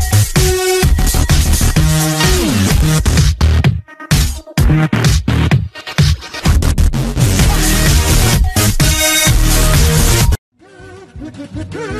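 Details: Loud electronic dance music with a steady beat and brief silent breaks, ending in a short quieter tonal passage.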